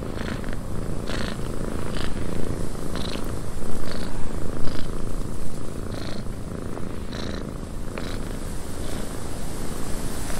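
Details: Cat purring in a windy cabin: a steady low rumbling purr beneath a broad hiss of wind, with brief clicking or creaking bursts scattered through and the loudness swelling slightly near the middle.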